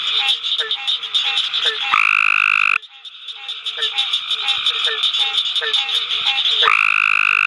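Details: At night at the University of Mississippi Field Station, an adult male Cope's gray tree frog gives a rough, buzzy trill of under a second, then another, against a steady backdrop of rapid chirps from other calling frogs.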